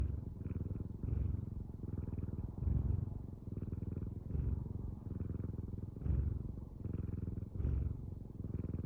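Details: Domestic cat purring close to the microphone: a deep, steady rumbling buzz that swells and eases with each breath, about every 1.6 seconds, with no other sounds.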